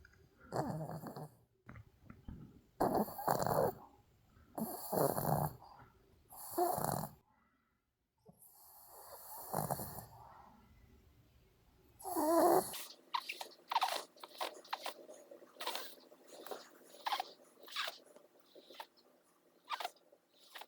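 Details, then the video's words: Songi, a female Maltese dog, snoring as she sleeps: rough, breathy snores come in bursts roughly every one and a half to two seconds, then turn into quicker, softer, irregular rasping breaths. "코고는 숙녀 송이"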